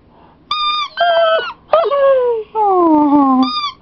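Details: Siberian Husky whining when his squeaky toy is squeezed; several high, tonal, drawn-out cries with falling pitch, separated by short pauses.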